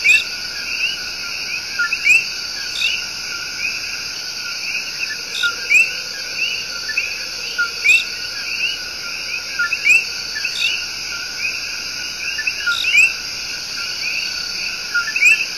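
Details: Love song of the coqui, a tiny but loud tree frog, in Puerto Rico's El Yunque Rainforest: repeated rising whistled chirps from several frogs, roughly one per second, set against a dense, continuous high-pitched insect buzz.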